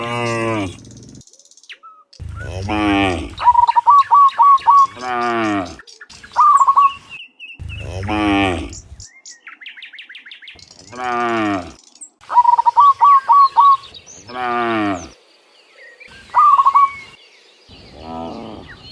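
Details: In the morning, dozens of cows walking back from the field to their pen give repeated deep moos about every two to three seconds, interleaved with quick trilled chirping from birds nearby.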